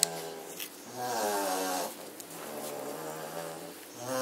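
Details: German Shorthaired Pointer puppies asleep indoors on 27 September 2016 after half an hour of chasing each other. Soft, buzzy, nasal snores rise and fall, each breath drawn out over about a second.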